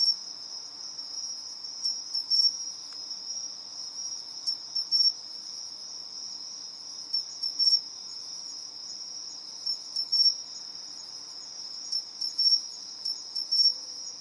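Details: Pine crickets, two of them, trading calls competitively: brief high ringing chirp bursts recurring about every two seconds above a constant shrill background buzz.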